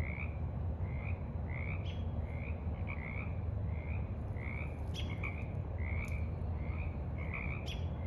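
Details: Frogs croaking in the evening at a forest pond, 28 March 2023: short, slightly rising croaks repeated about twice a second, a few sharp higher clicks between them, over a steady low rumble.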